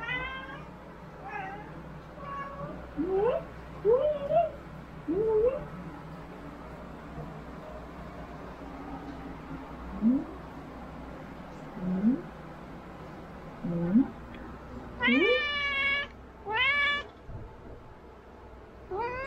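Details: Domestic cat giving short rising chirp-like meows every one to two seconds, ending with two loud, wavering, high-pitched meows, against a constant low background hum.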